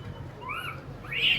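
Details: One of a noisy group of monkeys with a baby around a house gives two clear, high, tonal calls that rise and fall like short arched whistles.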